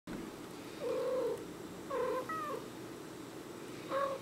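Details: Cats in conversation while a Border Collie listens: three short, steady, mid-pitched meows spaced over four seconds, the last pair closer together with a brief rising note, over a quiet indoor hum.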